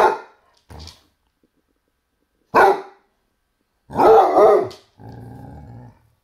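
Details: Basset Hound facing a toy T-Rex, giving deep, hoarse barks and a drawn-out, wavering bark-howl. The clip ends with a steady, buzzy, droning tone, likely the toy.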